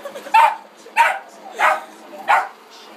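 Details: Pet dog, said to be afraid of the vacuum cleaner, barking indoors: four short, harsh, broadband barks spaced roughly every 0.6 seconds, with a faint trailing yip at the end.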